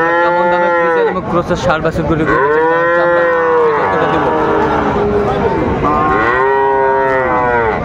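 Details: Friesian and cross-bred bull calves at Raniganj cattle market, Dinajpur, on 26 December 2024. Several drawn-out, rich moos, some rising then falling, one after another, with crowd murmur behind.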